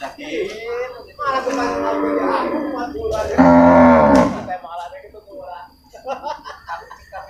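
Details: Water buffalo at the Purwakarta livestock market on Monday, 21 November 2022, where cattle are also traded: a loud, drawn-out, low moaning call lasting about a second, with people talking around it before and after.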